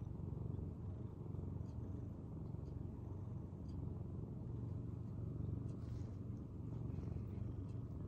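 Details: Purring from a shy, reserved senior rescue cat, the household's second cat, taken in during late spring 2015 and filmed in January 2023; a steady low rumbling purr runs throughout with soft pulsing and faint clicks above.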